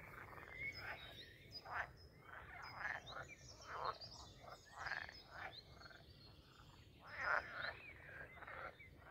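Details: Frogs at a pond in the grounds of Castle Aerwinkel, Posterholt, Netherlands, in mating season; a chorus of short, rough croaks repeating every second or so with overlapping callers, plus faint bird chirps.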